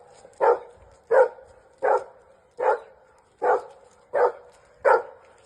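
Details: Dog barking, used as an example of reactivity toward other dogs: seven short, even barks spaced about two-thirds of a second apart, fairly steady in pitch, with a quiet background.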